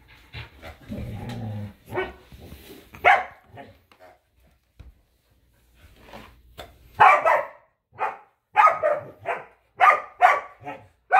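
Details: Two dogs, a Samoyed named Luma and a Keeshond named Zuko, play-fighting over a squeaky hedgehog toy in a yard in winter. Early low growling gives way to a quick run of sharp, loud barks near the end.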